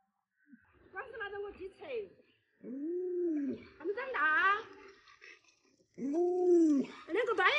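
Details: Alaskan Malamute Lolo, a family pet fond of its young little master, lets out arching, whining howls. Human voices and chatter break in between the calls indoors.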